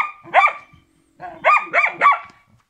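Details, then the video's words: Rex, a Karelian Bear Dog in training, gives one loud bark, pauses, then a rapid run of three strained, rising-falling barks. "Karelský medvedí pes Rex, karelian Bear dog"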